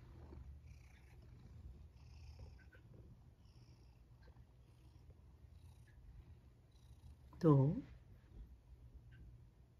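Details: Sacchan, a male rescued cat, purring at dinner time indoors: a low, continuous rumble, then one loud meow that rises and falls near the end, with a woman's quiet voice coaxing him to eat.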